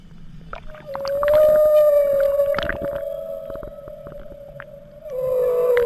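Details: Humpback whale accompanying a calf northward out of Bahia de Banderas: a long, level, pure-sounding low moan lasting about four seconds, followed by a louder tone that slides gently downward, with faint clicks and rustles behind.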